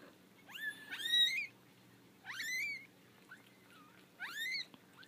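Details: Four-week-old kittens, a litter of five (three female, two male), out of their basket for the first time and unhappy about it; three high rising meows with bright harmonics, each about half a second, spaced roughly 1.5 seconds apart.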